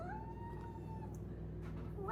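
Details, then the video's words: Four-month-old female Maine Coon kitten indoors giving a smooth, sustained tonal call that rises briefly, then holds steady for about a second and a half before fading, over a low steady background hum. "4 Month Old Maine Coon Kitten Makes Cute, Funny Sounds"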